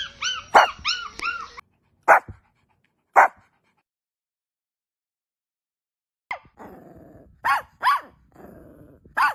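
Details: Newborn puppies feeding from their mother: a quick run of arched squeaks, then sharp isolated yelps separated by silence, followed by lower drawn-out whines and further short squeals.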